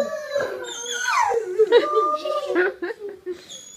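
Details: Dog howling indoors together with people, a wavering drawn-out howl sliding up and down, mixed with human voices howling along in a small room.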